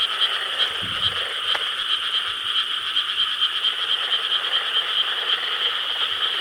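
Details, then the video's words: Frog chorus croaking in rice paddies in Korea on a summer night, 4 July 2013: dense overlapping calls form a steady high buzzing band, with pulsed croaks repeating rapidly, about three per second, throughout. "여름 밤 개구리 합창 Chorus of frogs croaking in rice paddies of Korea"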